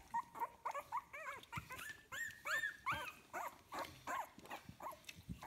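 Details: Young puppies, 15 days old, litter "A" at kennel Fox Empire, make clear tonal whines, many arched in pitch, coming about three per second in an uneven chain, with faint shuffling beneath.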